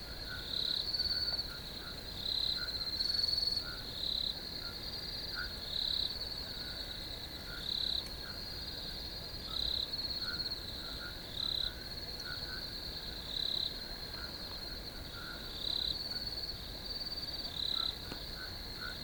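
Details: Crickets in a field keep up a constant high, ringing trill with about a dozen louder pulsed chirp bursts recurring every one to two seconds, and quieter lower chirps underneath.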